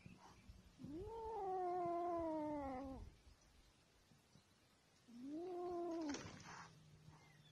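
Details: Kitten meowing twice: a long, whining meow that rises then bends downward, a pause of about two seconds, then a shorter, similar meow, with a low steady hum underneath.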